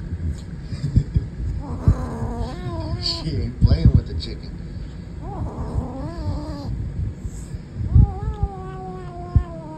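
A Savannah kitten growls in drawn-out, wavering moans that rise and fall in three bouts.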